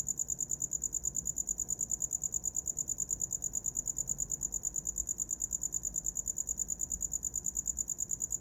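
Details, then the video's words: A cricket keeps up its shrill, rhythmic chirping, high-pitched pulses evenly spaced at around three per second, a calm backdrop meant for sleeping. "Som de grilo para dormir"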